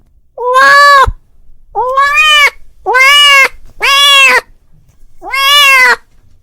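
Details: Five long, rich meows from a domestic cat calling his friend, each lasting under a second, slightly rising and then level, spaced about one to one and a half seconds apart in a quiet setting.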